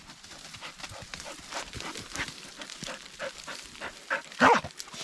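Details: Dog on a forest hike, excited by a chattering squirrel and trying to climb a tree; scrabbling and rustling for several seconds, then one sharp, loud bark near the end.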